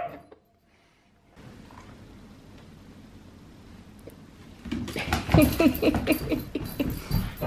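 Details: Australian Cattle Dog puppy Sully romps with the other dogs at home at bedtime, end of the weekend. Near silence gives way to a fast run of high yips and whiny play noises, with scuffling.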